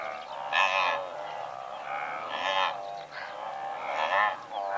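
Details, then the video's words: Blue wildebeest in a herd of several hundred utter loud nasal grunting honks, three main bursts standing above a continuous low chorus of the herd. "Blue Wildebeest / MCU Calls From A Herd Of Several Hundred"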